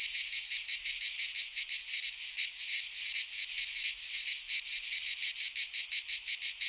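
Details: In a Greek pine forest in midsummer, cicadas keep up a piercing buzzing song, rhythmically swelling in quick, evenly spaced pulses about three times a second, clean and without background noise.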